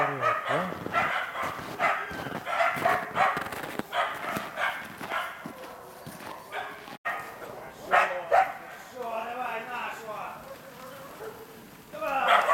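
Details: Karelo-Finnish Laikas Rus-Fin, two years old, and Kaya, eight months old, worked on a penned boar in trial preparation; a dense run of barks fades into quieter, wavering whines before barking resumes at the close.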